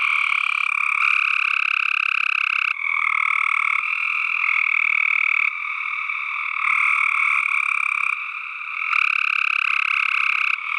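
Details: Tree frog chorus: many overlapping rasping croaks merge into a continuous droning hum with two strong tones, its loudness changing in one- to two-second blocks as callers start and stop.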